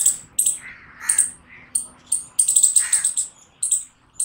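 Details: Loud squirrel barks: high, abrupt chirps in uneven spacing, including a fast stuttering run of several notes, with softer lower squeaky sounds in between.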